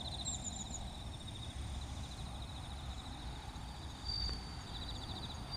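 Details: Bell cricket chorus recorded at Wakayama's Kinokawa Service Area: a high, bead-like pulsing ring that rises to a louder burst near the end. Other insects trill above, a faint click is heard, and low traffic noise runs throughout.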